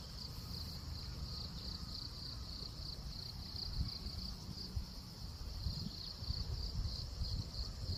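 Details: A cricket sings by day instead of at night. Its unbroken, piercing trill is steady and finely pulsed, laid over a persistent deep outdoor rumble with some louder low thumps toward the end.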